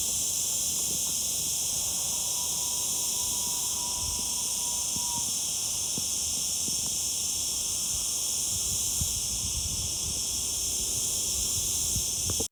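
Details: Summer cicada, locally called the 'zeet zeet' insect, giving a dense, continuous high-pitched buzzing hiss. It holds steady without pause for the whole stretch, and a faint low hum drifts underneath.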